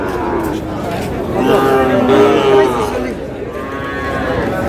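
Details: Sahiwal bull calf at a cattle market where a Faridpur farmer is buying, 2 March: one drawn-out, level, harmonic moo lasting about a second mid-recording, surrounded by crowd chatter and men's bargaining voices.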